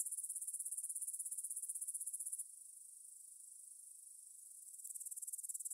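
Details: Grasshoppers in a Bryansk meadow beside the Svensky monastery, Russia, at 9pm on 6 September 2020, Tascam DR-44WL stereo recording. A quick pulsed high trill breaks off into a softer steady hiss for a few seconds, then the pulsing resumes.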